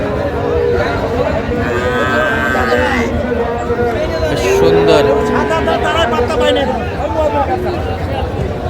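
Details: Sahiwal bull calves at a cattle market in Bangladesh, bought by a woman farmer from Jessore: several drawn-out harmonic moos rise and fall over steady crowd chatter and bargaining voices.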